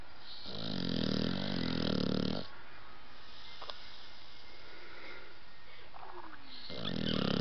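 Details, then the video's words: Blue nose pit bull puppy Roxie asleep, snoring twice: a throaty, fluttering rattle of about two seconds, a quiet pause with faint voices, then the next snore beginning. "Pitbull Roxie Snoring"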